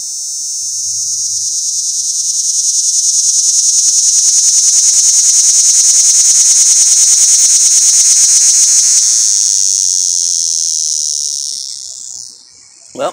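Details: Cicada calling from up in a pear tree, recorded at close range after a stealthy approach; a loud, steady, high-pitched pulsing buzz swells over about nine seconds, then fades and stops near the end.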